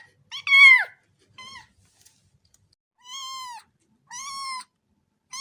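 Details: Cat meowing in a varied series: a loud, strained meow dropping in pitch, a faint brief one, then three softer, evenly spaced meows of moderate length.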